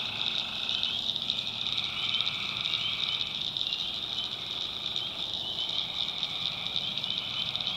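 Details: Swamp at night in the backwoods of North Carolina filled with a loud, constant shrill trilling of tree frogs, a brief mid-pitched trill fading out after the first second.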